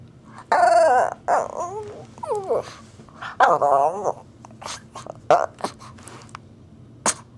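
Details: Playful pet Shih Tzu demanding play, making weird, funny sounds while pawing and tugging at clothes; several wavering, warbling whines and grumbling moans in quick bursts, followed by sharp clicks and knocks as activity continues in a quiet room.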